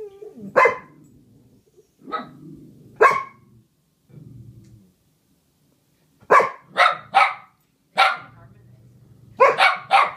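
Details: Duet of two dogs, Pepper and Meishka, singing together: scattered single barks early, then tight bursts of two or three loud barks repeated, with soft low grumbling filling the gaps.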